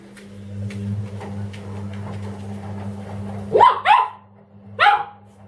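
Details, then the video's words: Dobermann named Ramses indoors barking at the washing machine: three sharp barks near the end, two close together then one more, after a steady low machine hum and faint speech. "Доберман Рамзес и стиральная машина"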